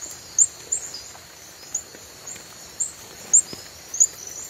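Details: A reticulated glass frog (Hyalinobatrachium valerioi) calls with brief, very high-pitched chirps at irregular intervals.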